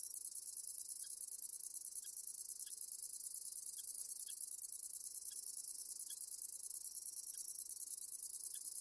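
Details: Conocephalus fuscus, a katydid, singing a continuous very high-pitched hissing buzz held steadily throughout, with faint short ticks repeating about every second below it.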